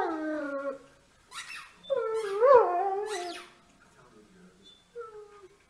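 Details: Great Dane with a short falling howl, a pause, then a rising and falling whine-like howl, followed by a faint brief whimper near the end; quiet room with a little background noise.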